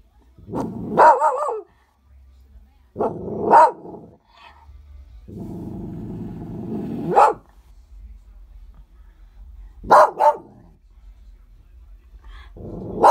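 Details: Loki the dog barking at the snow: sharp barks spaced a few seconds apart, between them long low rumbling growls that end in a bark.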